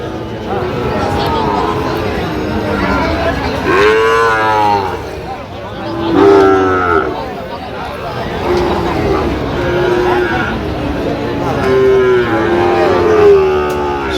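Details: Young Sahiwal bull calf at a market in Chittagong, Bangladesh: repeated wavering moos, some rising then dipping, spread over fourteen seconds amid people talking and background bustle.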